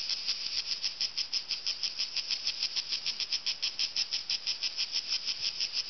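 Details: Cicadas in the trees on a mountain in hot summer call with a high, hissing buzz in rapid, even pulses, about three per second, a steady rhythmic rasp loud enough to drown out conversation, over faint background hiss.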